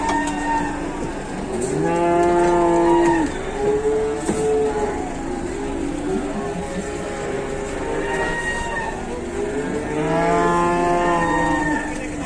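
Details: Cattle carried on an overloaded truck, lowing loudly: long, drawn-out harmonic moos from several animals overlap in bursts around two, four, eight and ten seconds, over a steady engine rumble.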